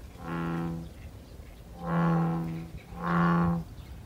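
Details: American bullfrogs in a small pond beside a sweetbrier flower path on Sido island, Incheon, give deep, droning, cow-like calls, each under a second, repeated three times.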